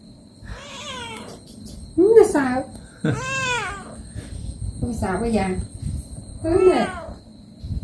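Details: Pet cats meowing while being given a body massage and played with: several short, rising-then-falling meows spaced over about eight seconds, interleaved with a woman talking softly in Khmer nearby.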